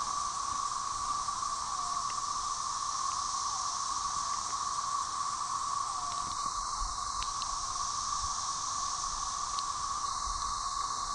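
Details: A dense, steady chorus of Magicicada tredecim (Brood XIX) with M. tredecula behind, at Tyler Bend on the Buffalo River, northern Arkansas, May 30, 2011: continuous droning whirr, occasional falling calls, unsynchronized.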